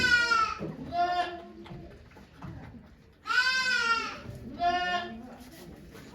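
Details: Okayu the goat calling during labour at Yoshigake goat farm, Japan, 3 May 2023, delivering two kids among watching volunteers; strained, quavering bleats in several bursts separated by quiet murmured talk.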